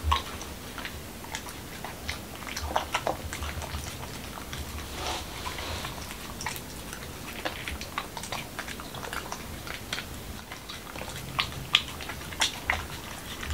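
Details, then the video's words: Momo, a male Pembroke Welsh Corgi in Washington DC, eats a dog-friendly taco of whole wheat shell, cucumber and lean ground beef indoors; soft crunchy clicks and wet chomps come in irregular bursts over a low room hum. "Dog Eating Tacos"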